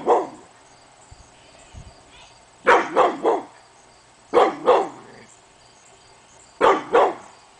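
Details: Hemi Bleu the pit bull barks at nothing on an August morning; a faint opening woof, then clustered barks in threes and pairs about every two seconds.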